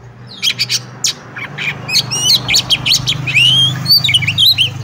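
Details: Oriental magpie-robin fighting song aimed at testing another bird's nerve: clipped sharp notes followed by a rushing run of varied whistles and squeaky chatter, over a loud steady low hum.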